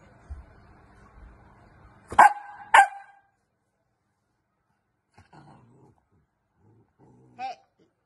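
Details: A very bossy Pomapoo, scolded and told to leave it, lets out two loud, sharp barks about half a second apart, then quiet with faint scuffles and one short whine-like yip.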